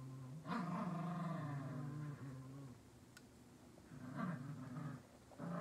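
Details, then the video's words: Latte and Mocha, two dogs, tussling over a toy squirrel, producing low throaty growls in sustained bursts, a loud rasping stretch first, then a quieter pause and renewed rumbling growls toward the end. "Latte and Mocha’s daily fight for the squirrel!"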